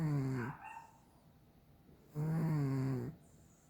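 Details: Sleeping cat snoring: two low, droning, nasal snores, a short one and then a longer one lasting about a second, separated by quiet breathing pauses.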